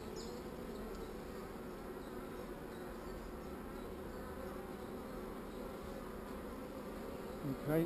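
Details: Not-so-angry honey bees around a hive with one swarm cell give a continuous low droning hum, even and unbroken, with a brief louder knock at the very end.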